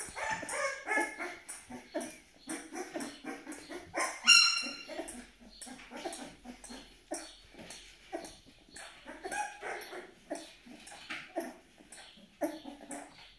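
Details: Twelve-day-old Malaklı puppy from Aksaray, Turkey, whining in a dense run of short, high, squeaky cries with harmonic overtones, one louder shrill squeal near the middle, barely a pause between calls.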